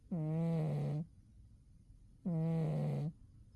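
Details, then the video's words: Sleeping in winter, Umi the cat gives two long, steady snores, each about a second of low droning buzz with rich overtones, separated by a quiet gap. "Umi the cat winter zonks and snores"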